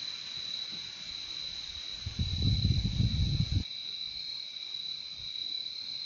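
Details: Crickets trilling steadily at a high, constant pitch while a low rumbling noise breaks in for about a second and a half midway, then fades, leaving the insect chorus alone again.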